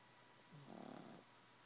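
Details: A pug being babysat, snoring: a single short rattling snore under a second long, pulsed and raspy with a low rising onset, set against steady quiet hiss.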